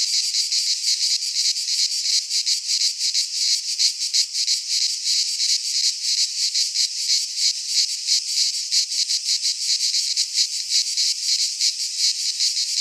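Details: Midsummer chorus of cicadas in a pine forest in Greece, a steady high shrill buzz with rapid rhythmic pulsing throughout, unbroken and loud, nothing else heard.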